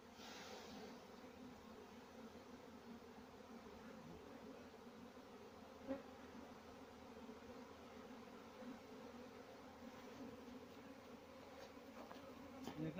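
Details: Farmed honey bees hum continuously in a dense, even drone, with a few faint clicks and knocks near the middle and end.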